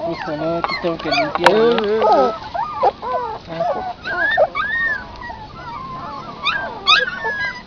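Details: Puppies feeding on their mother's milk outside whine and squeak, the cries crowded together at first, then spaced into curved, wavering yelps and scattered short squeaks.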